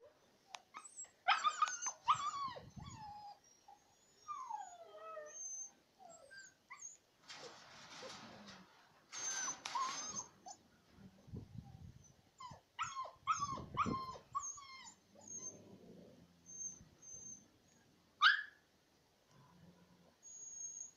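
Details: Siberian Husky puppies playing in a yard with their mother: high whines, squeaky yelps and short yips with harmonic stacks, bursts of rustling scuffle noise in between.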